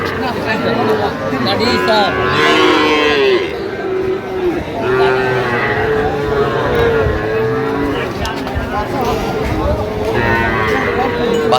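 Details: Sahiwal bull calves at a cattle market near Dhaka, several drawn-out harmonic moos overlapping from different animals amid constant crowd chatter and bargaining voices.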